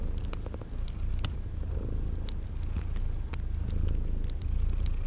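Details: Sleeping kitties purring by a crackling fire in spring garden ambience; the rumbling purr swells and eases in slow waves, with scattered sharp crackles and a few thin high chirps.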